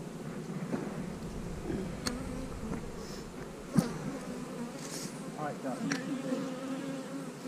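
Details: A steady low drone of honey bees during hive splitting, queen cells placed in the splits. The even hum continues under scattered sharp clicks and taps from handling the hive equipment.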